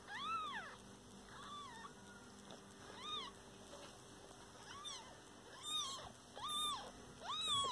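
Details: Domestic cat family, a mother with her kittens: about seven high, arched meows rise and fall, coming every second or so with short pauses between them, over a steady low hum.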